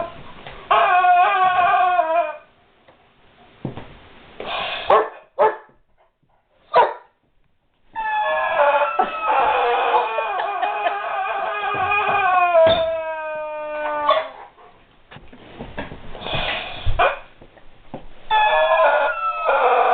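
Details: A guard dog whimpering over a squeaky toy it does not know what to make of: high, wavering whines in long bursts, with short sharp squeaks or yips and quiet gaps between them.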